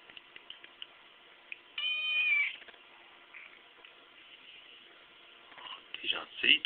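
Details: Muscade, a 4-month-old chocolate point Siamese cat, answers its owner with a long, bending meow and, a few seconds later, a shorter rising cry; soft French speech between calls, no steady purring audible.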